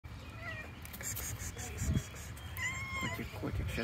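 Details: Stray cats eating meat outdoors on the street. Short harmonic meows come near the start and again around the third second, over steady low background noise, with a person talking to the cats in Russian.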